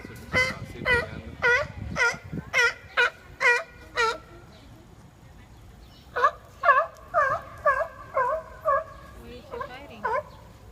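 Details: Arguing seals trade bleating, wavering cries: a quick series of about eight calls, a short pause, then a second burst of similar harmonic wails.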